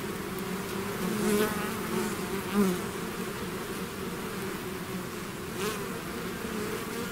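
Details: Bee swarm out of its hive: continuous deep humming, with single bees zooming past close by in short, rising and falling buzzes.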